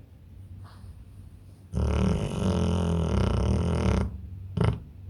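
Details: A pit bull sleeping deeply makes soft breathing noises, then a loud, gravelly snore of about two seconds, followed by quiet and a brief final snort.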